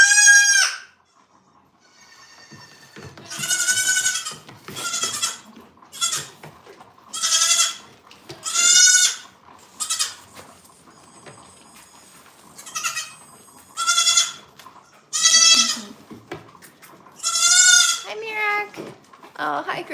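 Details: {'text': 'Farm goats bleating again and again, loud quavering cries coming every second or two with some overlapping, one deeper voice near the end, a constant low hum underneath.'}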